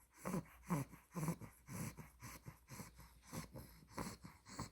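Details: Spaghetti, a two-month-old female Olde English Bulldogge puppy with an exotic blue merle tri coat, snoring while asleep: quick, rough, low-pitched breaths that snort and wheeze about twice a second, each one a short puffing burst.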